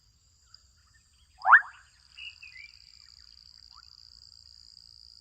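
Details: Single sharp rising croak with a brief rattling tail from adolescent frogs in a Kenyan wetland, then softer high chirping insects and a constant high-pitched buzzing background.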